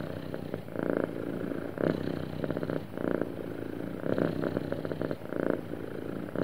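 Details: A smoothly purring, happy house cat, its low, fluttering rumble rising in louder pulses roughly twice a minute's worth of breaths, about every two seconds, against a quiet indoor background.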